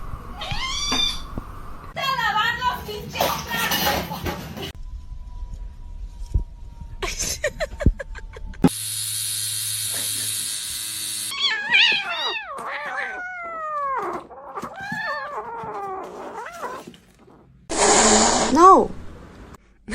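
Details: Domestic cat making a series of short, arched meows, some rising and some falling, mixed with bursts of noise, a hiss-like rush, and people talking and laughing.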